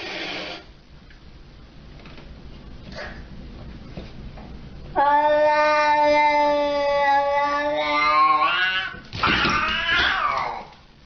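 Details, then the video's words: Siamese cat giving a long drawn-out yowling meow with strong harmonics, held about four seconds and wavering in pitch, followed by a shorter rising cry; quiet indoor room sounds before it. "FUNNIEST SIAMESE CATS EVER"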